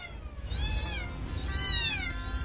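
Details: Hungry kittens in India crying for food: high, thin meows sweeping up then down, two main cries about a second apart, over a steady low rumble of background noise.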